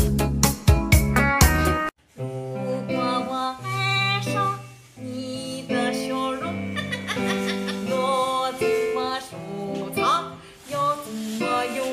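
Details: Plucked guitar music with singing plays throughout, with no animal sounds.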